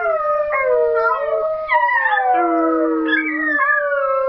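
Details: West Highland White Terrier x Papillon cross dog howling in a sing-song manner: long sustained wavering tones that slide up and down, with an overlapping lower tone falling steadily midway through.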